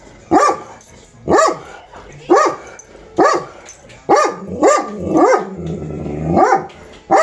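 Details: Pet dog barking, excited by squirrels, recorded 23 April 2020. Loud single barks come about once a second, seven or eight in all, each with a tonal rise-and-fall shape and little else behind them.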